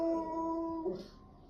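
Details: A bulldog, prompted by its owner to "speak", gives a short, steady, mid-pitched howl that holds level and then breaks off.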